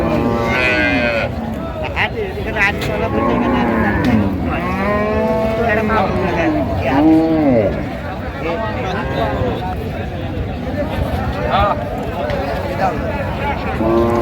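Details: Cows with calves at Raniganj haat cattle market in Dinajpur, 23 October 2025. Several drawn-out, arching moos rise and fall over a crowded market background of men bargaining and chatting, with a calf being handled nearby.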